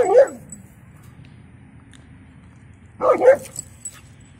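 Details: Alaskan Malamute female barking to get the attention of other dogs she wants to play with; two short harsh yelping barks about three seconds apart, low background hum.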